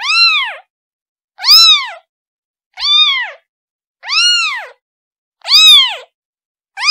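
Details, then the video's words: Rapid, insistent meowing from a kitten calling its mother, six high arched cries about every second and a quarter, each rising and falling, loud and clean. "Kitten Sound Calling Her Mom"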